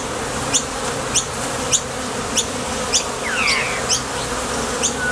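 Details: Hum of bees coming and going at a Top Bar Hive entrance while foraging for nectar. Continuous droning buzz, brief high clicks recurring roughly every 0.6 seconds, and one falling whistle-like sweep partway through.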